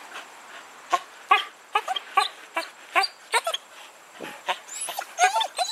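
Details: Husky excited by a squirrel, giving rapid clipped yips and barks, roughly two to three per second, then ending in higher, squeaky, sliding whines.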